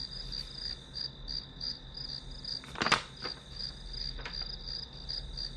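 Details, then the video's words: Pulsed, shrill chirping of grass insects behind a quiet study session, repeating about three times a second, interrupted near three seconds by a loud knock or clatter, then a softer tap. "풀벌레 소리"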